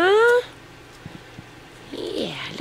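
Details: Four-week-old miniature dachshund puppies eating rice cereal mixed with a little canned puppy food for the first time; a short, high, rising whine opens, followed by quiet with faint clicks, then a softer sliding vocal sound near the end.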